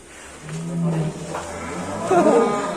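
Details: Fat extreme-class cattle leaving the pen in Indonesia give a brief low, steady moo lasting about half a second, followed by clattering and background noise.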